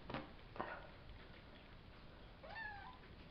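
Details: Savannah kittens from a litter of three males and two females born April 22 to Kendi and Gargoyle, recorded May 30: a few soft clicks and bumps, then one short meow that rises and falls, with a quiet indoor hiss behind.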